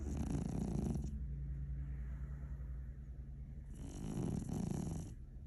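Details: Sleeping cat snoring: two long, rough, breathy snores with a low rumbling base, each lasting over a second, separated by a quieter pause.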